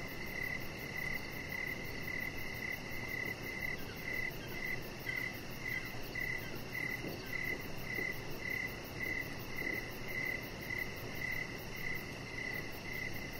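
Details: Crickets calling outside on an evening deck. Short chirps repeat at a brisk, nearly even rate of about two per second. Faint high ticking sits above them, and a constant low rushing hiss runs underneath.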